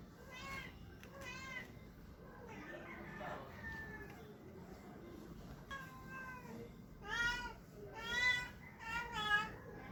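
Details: Male Persian cat making strange, funny sounds while trying to find a mate: drawn-out harmonic meows, two near the start, then a louder burst of three or four rising-falling wails toward the end, over a low background hum.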